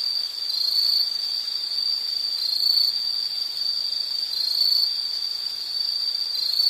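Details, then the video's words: A steady high-pitched insect trill that swells and fades gently about once every second or two over an unbroken ringing tone. "Sound · Nature Sound of nature sounds scenery L · insect"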